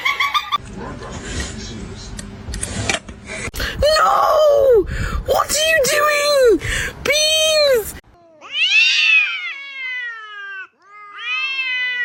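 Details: Kitten meowing amid talking: a run of repeated, bowed meows, growing louder and more frequent, ending in a few high, drawn-out cries that fall in pitch.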